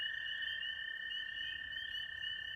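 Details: Spring peepers breeding at a temporary stream in spring give high, whistled peeps blending into a steady, ringing chorus, alongside longer cricket-like trills of wood frogs.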